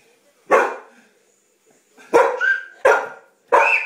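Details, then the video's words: Family dog Shadow, a female, barks indoors as a baby laughs during play: one bark, a pause, then three quick barks, with a high rising squeal over the later ones. "Shadow Barks Baby Laughs"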